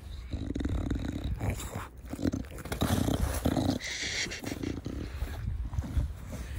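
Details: A pet bulldog, Da Vinci, in a garden, breathing noisily with the breed's snuffling 'fugo fugo' snorts; steady low, grunting rasps repeat about every half second, with a brief higher rustle near four seconds.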